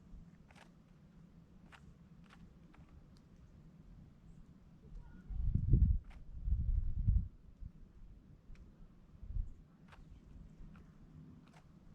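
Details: Only low thuds and rustling, like footsteps or handling noise, with a few faint clicks over a quiet outdoor background; no calls stand out.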